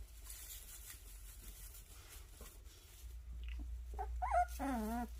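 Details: Puppies of the dogs Sunsimi and Joy: after three seconds of near-quiet room noise, short squeaks build into a drawn-out, wavering, tremulous whimper with rich overtones, rising and falling several times in the final second.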